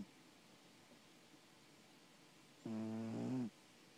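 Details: A single snore from Thomas the cat after a long quiet stretch: a low, steady, harmonic-rich drone held just under a second, stepping slightly higher near its end before stopping abruptly.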